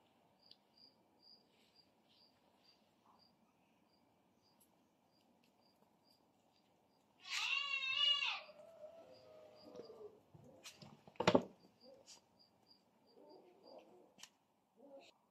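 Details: Two kitten brothers fighting, one letting out a loud, drawn-out harmonic squeal lasting about a second, then softer mews and scuffling thumps amid quiet indoor background.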